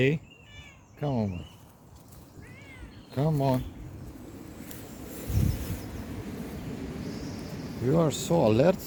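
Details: Bengal kitten named Freddy on an outdoor walk on a windy Sunday morning, giving a series of short, rising-then-falling meows, about five across the stretch, some in quick pairs, with a person talking nearby and wind in the background.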